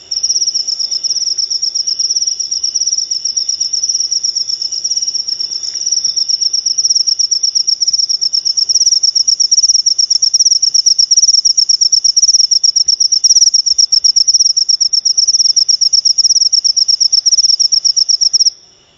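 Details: Cricket sound for chasing off rats and luring lovebirds: a steady shrill trill of fast pulses, close to three a second, sustained at even loudness and stopping abruptly near the end.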